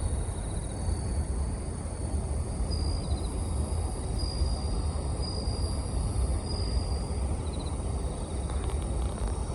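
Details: Autumn bell cricket chirping, with the surrounding sound raised in editing. Thin, high, bell-like trills come in separated bursts, some longer and sustained, above a heavy, constant low background hum.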